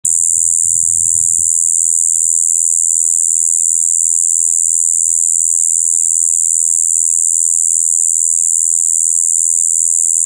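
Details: Shibuiro kayakiri katydid recorded on 2 April 2023, giving a monotonous, unbroken high buzzing "bii" that blends high and low tones and holds steady for the whole stretch. A faint low rumble is heard at the start.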